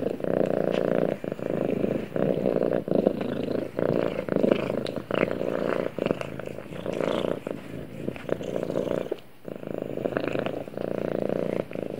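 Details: Snuggled up with its owner, a cat purrs loudly and continuously, a thick low vibrating drone broken by short breathing gaps about every second, with faint rustling on top.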